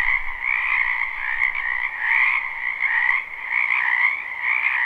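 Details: Croaking frogs massed in a spring wetland, recorded live: a constant shimmering trill at two pitch levels swelling and easing slightly, with a few faint clicks.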